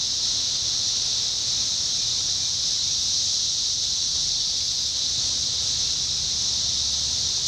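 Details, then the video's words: Massed 17-year cicada chorus recorded in summer 2021 in Indiana, a constant piercing high-pitched hiss-like drone that never rises or falls across the whole stretch, over a soft low hum. "Sounds of Cicadas Summer 2021: 17-Year Cicada"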